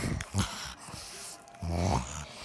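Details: Indoors, Ruby the pet pig, excited and playing, makes a low snorting grunt: a brief huff early on, then a longer rough grunt near the end, with quiet room noise between.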